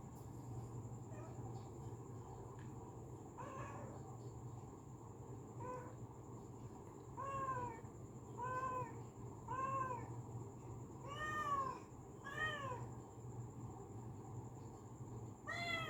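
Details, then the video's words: Domestic cat calling sweetly indoors, giving a long series of short arched meows, about a dozen, roughly one every second in places, some faint and some strong, over a low constant hum. "मीठी आवाज मे बुला रही है"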